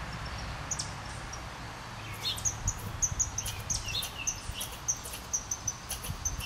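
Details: Very agitated red squirrel, with a second squirrel close behind as the cause, giving rapid sharp ticking chucks with short high tonal notes, irregular bursts over a low rumbling background.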